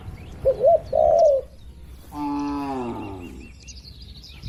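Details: Tame cattle among dozens kept in a farm pen, calm and healthy, give one drawn-out, low, slightly falling moo, preceded by two short cooing notes from a dove.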